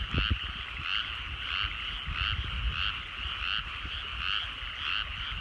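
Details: Frogs calling in rice paddies at sunset in the countryside, a dense chorus of rapid pulsed croaks with bright notes rising and falling roughly every half second over a steady trilling background, with low rumbling noise beneath.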